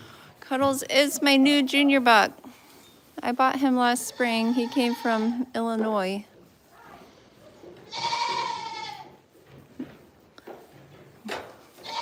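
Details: Goat on The Willful Goat Farm & Home live stream gives loud tremulous bleats in two clustered bouts early on, then a higher, breathier cry; human speech and farm background sounds between calls.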